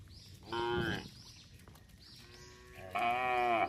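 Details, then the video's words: Herd of tame cattle roaming on a road while being herded: two drawn-out, harmonic-rich lowing calls, the second longer and louder, with faint chirping in the background. "Rombongan sapi berkeliaran di jalan suara sapi bunyi"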